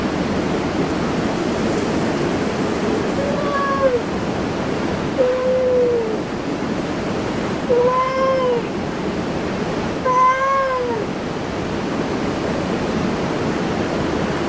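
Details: Cat in a cat cafe meowing four times, short rising-then-falling meows spaced about two to three seconds apart, against a steady rushing background noise.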